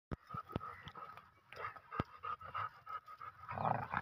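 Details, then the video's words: Rottweiler and German Shepherd dogs in a fight, heard as fast irregular panting and breathy huffs with scattered sharp clicks and thumps, a faint steady tone running underneath, louder scuffling near the end. "Rottweiler vs german shepherd dog"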